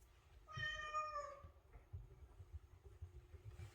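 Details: Maine Coon cat indoors, unusually loud, angrily meowing at its owner for oversleeping in the morning; one long, steady, clearly harmonic meow about a second long, then a short faint chirp, over low rumbling background noise.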